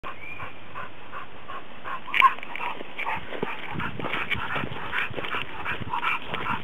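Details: Cocker Spaniel at work helping climb a hill, breathing hard in quick breathy puffs that repeat unevenly, with a sharp click early on and steady low background rumble.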